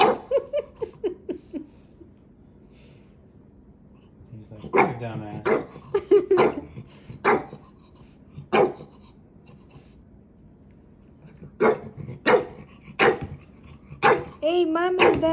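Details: Maui, a puppy, tests his big brother's patience indoors; a run of short yips opens the scene, then a scattered series of sharp barks and whiny, wavering calls, some close together, others spaced by several seconds.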